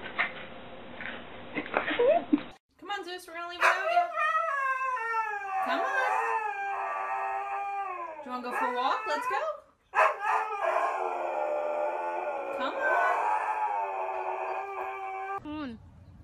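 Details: Indoor dog producing repeated whining howls, sliding and bending in pitch, broken by short pauses. Human speech and background hiss are mixed in.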